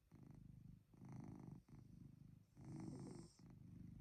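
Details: Short stretch of Chloe the cat snoring indoors on a cozy night, three buzzing, purr-like low rumbles, the last one louder and longer, each breath running into the next with barely any pause.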